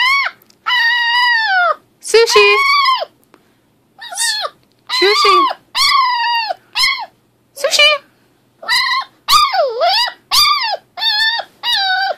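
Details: Six-week-old female American Pit Bull Terrier puppy vocalizing at length: a run of high, arched, tonal whines and short yelps in separate bursts, some rising then falling, with brief pauses between. A human voice is heard occasionally.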